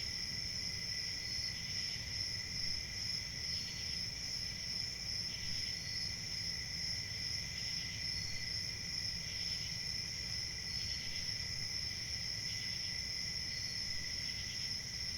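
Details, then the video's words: Steady, synchronous chirping of many crickets: a constant high trill with softer pulsed chirp groups rising and fading about every second or two across the stretch, above a low background rumble. "Crickets sound effect( Crickets chirping )"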